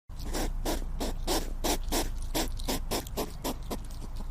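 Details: Hedgehog giving rapid, rhythmic puffing snuffles, about three soft bursts each second over a steady low hum.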